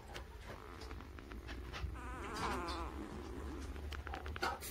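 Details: Newborn puppies, birth to three weeks of age, give a quavering, trembling squeal in the middle amid soft shuffling and low background hum.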